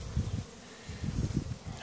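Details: Western honey bees (Apis mellifera) around Apifonda feeding fondant, which the bees are said to choose; wing buzz, a low steady hum swelling and fading as they fly close.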